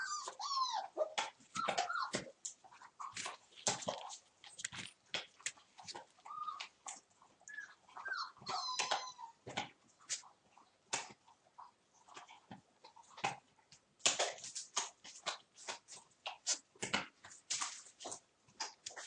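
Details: Playful one-month-old puppies, Torfheide 'B' litter, 19 December: high wavering whimpers and thin yips come early and around the middle, surrounded by a constant patter of clicks, paws and knocks.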